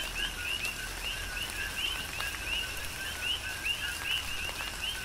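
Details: Rhythmic coqui frog chorus in tropical rain on Hawaii's Big Island, dense rising two-part chirps from several frogs overlapping under a constant hiss of falling rain and occasional louder raindrops.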